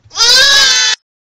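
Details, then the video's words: A single bleat from baby goats, steady, nasal and strongly harmonic, lasting under a second before silence. "Baa Said The Goats"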